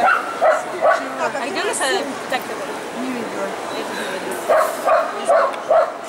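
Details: Poodle named Lyalya at a qualifying competition, CACAG "Zooshow in Gavan" dog show, ring A3, 29 March 2015: two short barks, then a pause filled with hall chatter, then four quick barks about half a second apart, voices throughout.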